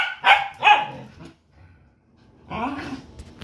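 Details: House dog playing with another dog lets out two quick, loud barks, then a woman speaks, telling it to quiet down.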